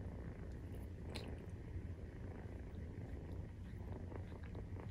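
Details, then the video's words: Maine Coon kitten, 43 days old, purring while nursing: a steady, low, rumbling purr that runs without a break through the whole stretch, with faint soft rustles above it. "授乳時のゴロゴロ 生後43日目【メインクーン動画】"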